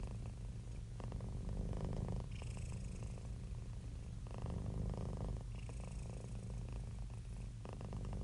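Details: Happy, relaxed domestic cat purring: a steady low rumbling drone that swells and eases in alternating phases roughly every one to two seconds, with a faint airy hiss on the stronger phases.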